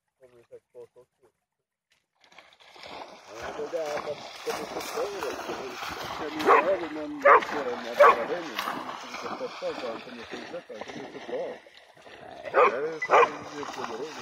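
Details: Energetic Pharaoh Hound chasing a bug-hunting bat over the water: bursts of barking in two clusters, three barks then two more, mixed with steady Swedish conversation and splashing after a quiet start.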